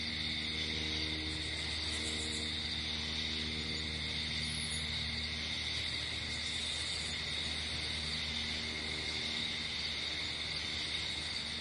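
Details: A nighttime cricket chorus outdoors, steady high shrill trilling without pause, with a low humming drone and faint tonal bands beneath.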